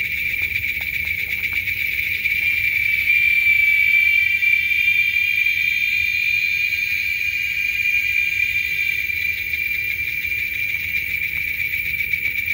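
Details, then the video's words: Male giant cicadas singing together in Texas, a loud shrill chorus; one unbroken high-pitched buzz that swells slightly in the middle and carries a fine rapid pulsing throughout. "Shrill Sounds of Giant Cicadas"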